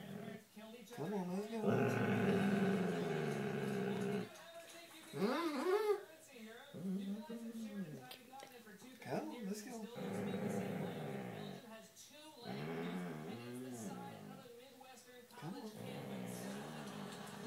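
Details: Indoors at night, a male Basset Hound growls while being made to get down off a person's bed; sustained low rumbles alternate with a man's coaxing voice saying good night, and a television plays loudly in the background.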